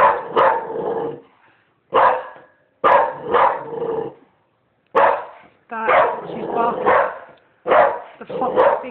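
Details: Repeated barks from a female dog come in irregular clusters, each a harsh, broad burst. Some run into longer rasping stretches and are separated by short silences. Human voices sound faintly at times.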